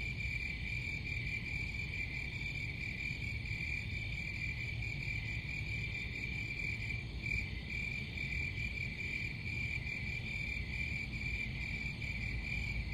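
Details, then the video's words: A dense high cricket trill runs steadily, with a brief dip in the middle, softer overtones above it and a persistent low rumbling noise below. "Crickets Sound"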